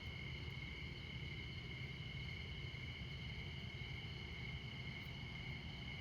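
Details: Midnight chorus of Montana crickets near I-94, America's most northern interstate. Continuous shrill trilling holds at an even level throughout, layered above a heavy, droning roar of passing vehicles.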